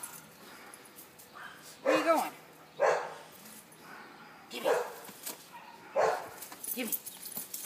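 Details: A handful of loud, clipped barks from Jackie, a household Boston terrier, during a rope game, spaced roughly one to two seconds apart with a person's chatter between them.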